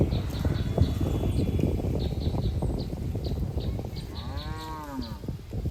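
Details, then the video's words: Cow in a herd of cattle out on a green field enjoying the grass: constant low rustling and chewing noise, faint high chirps ticking repeatedly in the background, then one short arched moo near the end. "Suara Sapi Moo"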